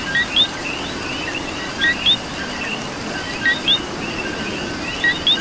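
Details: Coquí frogs calling in rain in Puerto Rico, a two-note co-qui, a low note then a higher rising whistle, about four calls in five seconds over steady hiss of rainfall.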